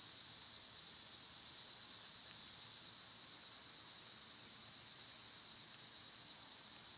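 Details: Summer insect sound dominated by cicadas: an even, shrill, high hissing drone sustained across the whole stretch, slightly quieter than elsewhere.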